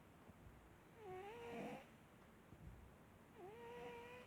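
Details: Marsik the cat snoring indoors: two drawn-out breaths, each carrying a thin whistled tone that dips then levels off, with a soft breathy rasp, in a quiet room.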